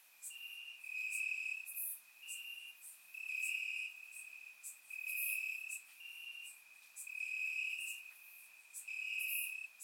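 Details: Summer-night crickets in the grass, Bulgaria, recorded in surround sound: bright high trills alternating between two callers in bursts roughly every one to two seconds, with occasional faint higher chirps above.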